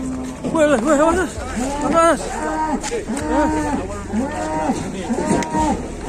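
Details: Angry cattle charging and chasing a person in Indonesia give loud, drawn-out moos. The moos overlap, repeat roughly every second, and some bend up and down in pitch. Faint background noise.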